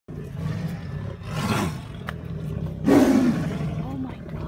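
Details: Male Amur tigers fighting at a zoo, recorded April 17, 2017; two loud harsh roaring snarls, one near the start and a stronger one midway, over a constant low background rumble.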